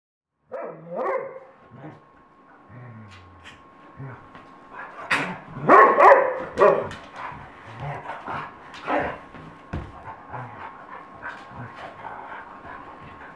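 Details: Dogs fighting in Colorado: harsh snarling growls and sharp barks come in irregular bursts. The loudest flurry is around the middle, with noisy scuffling between outbursts.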